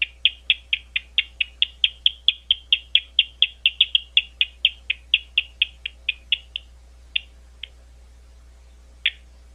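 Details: Bat calls at Gwynne Conservation Area, an Ohio State University site outside London, Ohio: a fast train of sharp, clicky pulses about five per second for six seconds, slowing to a few scattered pulses, over a steady low hum.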